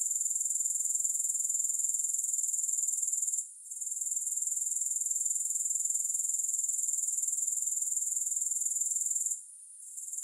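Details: Grasshoppers in a calming sleep recording with no music: a steady, very high-pitched insect trill of rapid, even pulses that holds constant, broken by two brief near-silent dips.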